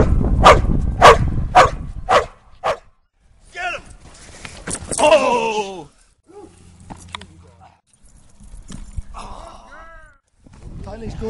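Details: Doberman Pinscher during Schutzhund training exercises gives five rapid, forceful barks in the opening two seconds, followed by a man speaking commands and quieter background sounds outdoors.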